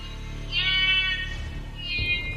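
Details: Young blue duiker screaming from the treetops of the Congo rainforest after a male mangabey caught it and carried it up into the canopy, eating it alive. Two high, harmonic screams: one long, one shorter, over a steady musical score.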